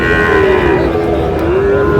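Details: Sahiwal bull calves at the crowded Raniganj cattle market in Dinajpur district on a Thursday market day, 20 August; a drawn-out, wavering moo holds steady throughout, with faint crowd murmur behind.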